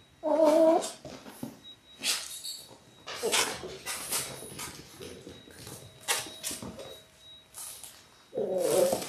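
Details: Six-week-old Labrador Retriever puppies, a litter of six born January 18, 2022, on a live indoor puppy cam on February 28: a burst of high, harmonic whining yelps opens and closes, with scratching, shuffling clicks and a faint steady electronic whine between.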